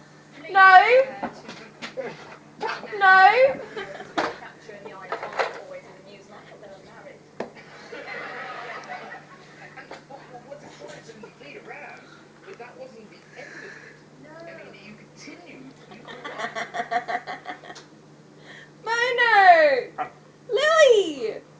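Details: Bono, a male stud Alaskan Malamute, in season and trying to impress the household's female, Lily. He gives loud wavering woo-like vocalizations that rise and fall, in bursts near the start and end. People talk, laugh and call out his name.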